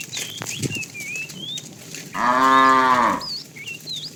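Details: Loud, steady moo of about one second from a fat cow calling the female while a tame herd is herded in the afternoon; quiet stretches before and after carry chirping, whistled birdsong and light rustling.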